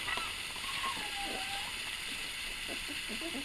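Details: A single drawn-out puppy whine slides slowly downward. It comes from a litter that includes Farmer, a crier, along with Dale and a little runt. Faint hiss and soft shuffling sounds continue afterward.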